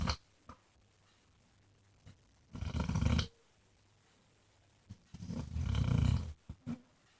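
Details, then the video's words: Basset hound Jack, nicknamed Mr Flops, asleep and snoring in deep, rasping rumbles. Two long, loud snores of about a second each are separated by quiet pauses, with small snuffles between them. "Snoring basset hound thinks he's Elvis"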